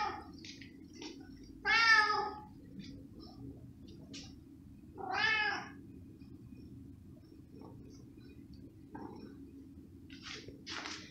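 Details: Domestic cat asking for cooked pig ham as its owner cuts small pieces: two loud, rich meows about three seconds apart, each bending up then down, with softer chirps and mews between them over a low, constant hum.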